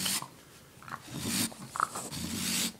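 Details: Pet raccoon in an indoor room, behaving hatefully and angry; harsh, breathy snorting bursts with a low growling undertone, in three rough blasts with short quiet gaps between them.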